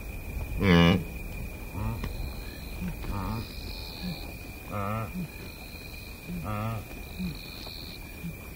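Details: Blue wildebeest giving close grunts in the Masai Mara Game Reserve, Kenya: a loud opening nasal grunt, then several shorter buzzy grunts spaced about every one to two seconds, over steady insect drone and bird calls in the background.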